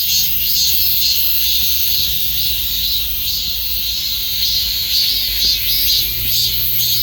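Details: Cicada song forms a loud, continuous metallic drone, rippling with rapid, slightly uneven pulses of more than two per second, with only a soft low hum beneath.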